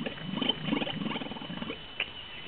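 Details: Camel at an animal farm in Maine, drooling and slobbering while making funny noises: a low, rough, bubbling gurgle in uneven pulses over about two seconds, with a person's voice nearby.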